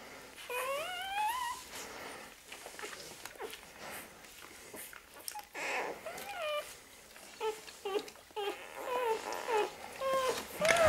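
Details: Rottweiler puppies at a breeder's home in Sicily give high, rising whines and whimpers, over and over, in a small room.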